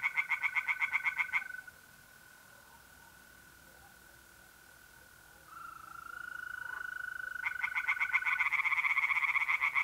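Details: Night in mid-April at a pond in North-East Italy. A burst of rapid pulsed tree frog croaks opens, then there is a long stretch of only a steady mole cricket trill. Frogs return loudly with fast repeated pulses near the end.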